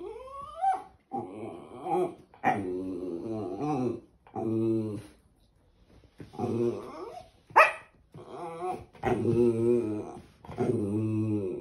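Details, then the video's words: Pet West Highland White Terrier indoors making drawn-out, baby-like 'talking' noises: wavering, harmonic whines and moans in a series of one-second utterances with short pauses, one rising squeak at the start and a sharp yelp midway. "Westie dog talking like baby"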